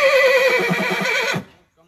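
A horse gives a loud, quavering whinny that wavers in pitch and stops abruptly.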